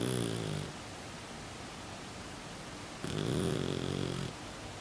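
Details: Pet Exotic Shorthair cat snoring in its sleep, its flat face making nasal snorts: a rasping low snore fading at the start, then another harsh drawn-out breath after a quiet gap.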